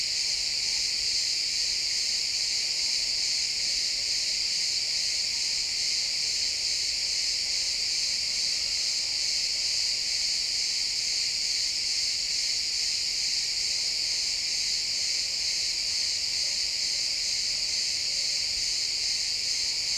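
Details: Crickets chirping in a pine forest at sunset, captured with an XY stereo recording; a dense, steady, high-pitched shimmering chorus of many insects pulses rapidly and without pause for the full twenty seconds, with no other clear sounds.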